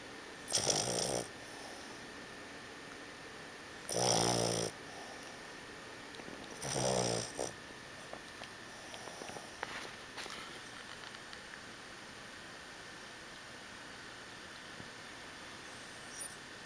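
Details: A 7-month-old Boston Terrier snores in three loud, rasping breaths, then the room goes quiet apart from faint clicks.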